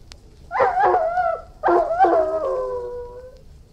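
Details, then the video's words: Two loud howls from an Irish Wolfhound, each starting rough and breaking into a wavering tone, the second held longer and gliding gently downward as it fades. "Irish Wolfhound, Howling, Barking & Whining"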